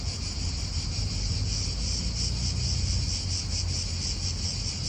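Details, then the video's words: Cicadas buzz steadily in an Italian park, their high droning whirr pulsing quickly and evenly, while wind and nearby car sounds fill the low end. "Cicadas wind real atmosphere in an Italian park"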